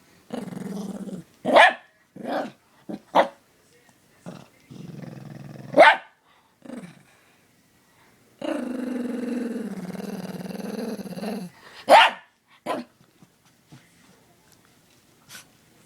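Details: Pet dog reacting to a dog whistle pitched above human hearing: low moaning howls and growly whines, including one drawn-out note of about three seconds, broken by several sharp clicks and short bursts.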